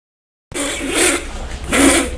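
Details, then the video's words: A dog coughing, filmed on a Samsung camera in May 2010: after a moment of silence, two harsh, broadband hacking bursts about a second apart, each with a rasping throaty edge. "Doggy Cough"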